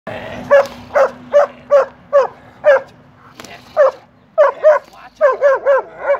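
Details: Six-year-old German Shepherd during protection training in a kennel, barking in a steady series of sharp, mid-pitched barks, roughly one per second, with short pauses and quicker bursts toward the end.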